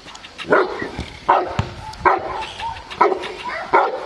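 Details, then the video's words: Fourteen-month-old Cane Corso Aaron in IPO training at Cascina Crimea, Cavagliano (NO), gives five deep, forceful barks in about four seconds, spaced unevenly, with quieter sounds between them. "AARON CANE CORSO 14 MESI ADDESTRAMENTO IPO"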